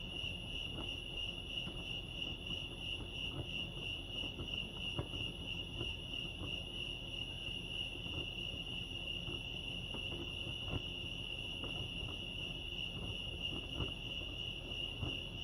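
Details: Crickets at Lake Arrowhead, California, keep up a long, unvarying shrill trill at one high pitch, faintly throbbing, while low background noise and sporadic soft clicks sit underneath.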